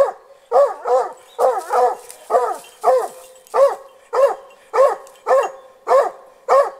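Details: Hunting dog, just past one year old, training on a snared wild boar and barking from a short distance; steady series of loud barks, several in close pairs at first, then single barks roughly every half second.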